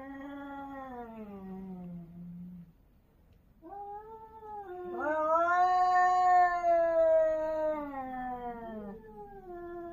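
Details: Two cats caterwauling during a territorial fight in Korea: a low descending moan, brief silence, then a loud, sustained high wail that quavers and slowly sinks, answered by a lower growling voice.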